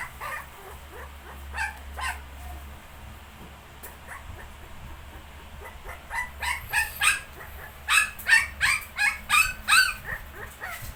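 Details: ['A Shih Tzu alongside 19-day-old puppies: scattered faint squeaky yips at first, then after six seconds a rapid string of louder, high barks that grows more intense toward the end.']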